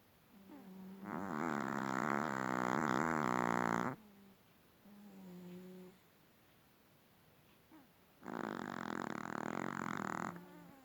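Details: Small long-haired Chihuahua asleep, snoring explosively despite a clean bill of health from the vet. Two long, harsh, rattling snores of about three seconds each are separated by quieter, gentler breaths.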